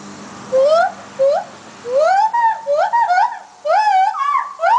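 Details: Gibbons calling: loud, clear whooping notes that swoop upward, first single rising hoots, then a rapid cluster of overlapping rising and falling whoops, with brief quiet gaps between bursts and faint background hum.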